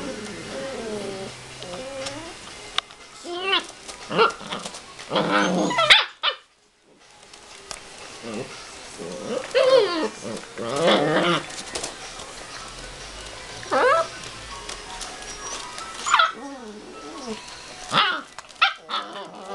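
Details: Three fostered Border Collie puppies, two males and a female, 7.5 weeks old, in Ireland, playing together: short high yips, squeaky whines and small barks in bursts, with a brief silent gap midway and some human talking.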